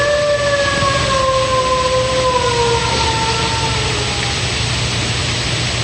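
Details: Coyote calling right before the pack goes off: one long, smooth howl gliding slowly downward, with fainter overtones tracing the same falling line, heard over a steady loud hiss and low hum.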